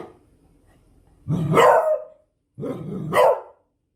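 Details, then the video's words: Beagle barking twice in close succession, each bark rough and throaty, rising from a low growly onset to a loud harsh peak, with a faint low rumble beforehand. "Tunog ng BEAGLE | Sound of BEAGLE"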